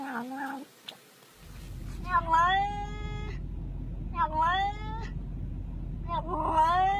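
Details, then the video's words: Domestic cat making strange, unusual noises: three drawn-out, wavering meows about a second long each, rich in overtones, over a steady low rumble of background noise, with brief voice-like sounds at the start. "Funny Weird Cat Noises"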